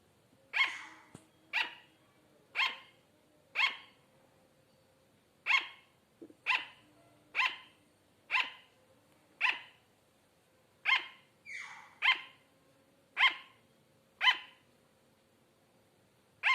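A sugar glider barks in sharp, high yaps, about one each second, like a tiny dog.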